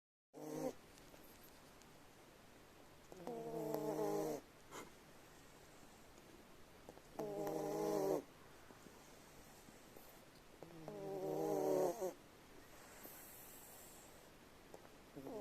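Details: Rescued brown tabby cat asleep, snoring softly: buzzy, harmonic snores about a second long, repeating roughly every four seconds with quiet breathing gaps between, in an otherwise still room.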